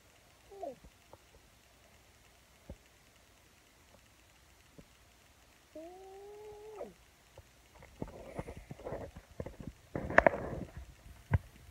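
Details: Sleeping pug squeaking in its sleep: a brief falling squeak, then a longer level whining squeak about a second long, followed by soft shuffling and a burst of music.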